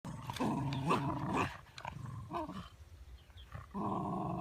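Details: Shiba Inu on a walk, giving harsh, low growling bouts at the start and end, separated by quieter scuffling and footsteps.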